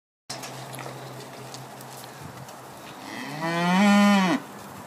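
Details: Hereford steers, one of five, give a loud drawn-out moo lasting over a second near the end: a rising, nasal tone rich in harmonics that swells, holds, then cuts off sharply, preceded by several seconds of low steady background hum.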